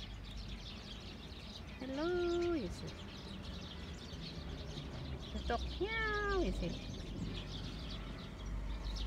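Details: Friendly stray cat in Kochi Prefecture, Japan, fed squid outdoors, gives two drawn-out meows about four seconds apart, each rising then falling at the end, while a person talks to it over steady background noise.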